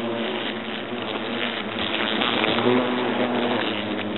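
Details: European hornets at a nest in an oak trunk at Agen, France, during the nest's destruction; a dense, steady droning buzz with layered low humming tones, slightly louder midway.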